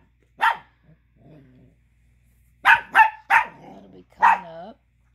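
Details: An angry Chihuahua pup gives sharp, high, yappy barks in quick bursts, with soft growls between them, because another dog is chewing a tiny bone he wants back.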